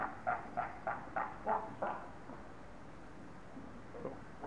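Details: Quarrelling seals at Zoo Augsburg in Bavaria roar at each other: a run of six quick, harsh barks in the first two seconds that then fades into quieter murmuring and background hum.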